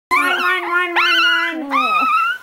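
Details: Male Chihuahua howling with a sock in his mouth: a sustained, steady tonal howl with rich harmonics that wavers, dips and climbs in pitch, breaking into a second rising howl midway, then a final gliding, falling phrase.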